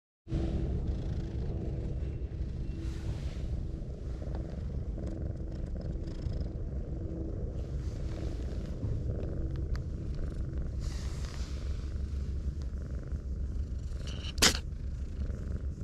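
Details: Brown tabby cat purring while being stroked, curling its body up like an armadillo; a steady low rumbling purr runs throughout, with a brief sharp click near the end.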